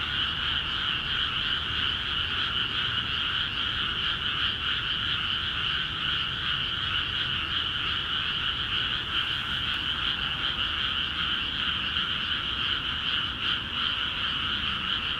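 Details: Frogs calling vigorously in rice paddies in Akiha Ward just after the fields were flooded; a dense, unbroken chorus of rapid trilling croaks forms two steady pitch bands, with faint low rumble beneath.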